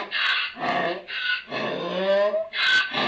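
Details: Donkey braying inside a barn on 11 May 2018 in the afternoon: harsh, wheezy high notes alternate with lower, rasping tones in a see-sawing hee-haw, repeated about twice a second.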